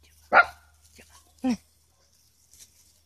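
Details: Havamalt and Chihuahua mix puppies outdoors at play: a bright, high yappy bark, then a second shorter, lower bark about a second later, with a faint rustle trailing off in near silence.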